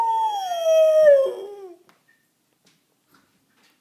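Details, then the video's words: A dog said to be talking gives one drawn-out tonal howl, starting fairly high and sliding steadily lower over about a second and a half, rich in overtones, then quiet follows with a faint click at the end. "Talking dog"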